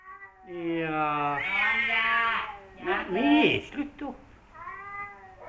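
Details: Rival male cats, a returning house cat confronting a newly adopted former wild cat, giving loud, long, wavering yowls that rise and fall, with a rough, harsher outburst in the middle and a softer yowl closing the sequence.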